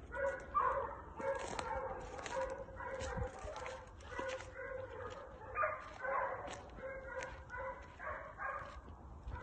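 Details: A pair of Segugio Italiano hounds in training on hare give drawn-out, ringing bays that overlap almost continuously, the voices rising and falling in pitch with short gaps between bursts, heard from moderate distance.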